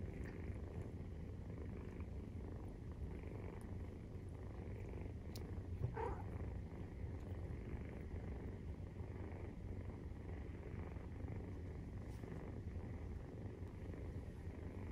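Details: Maine Coon purring as kittens 43 days old nurse; a deep, steady rumble running without pause, broken briefly by a small higher rustle or squeak around the middle, soft indoor hiss in the background.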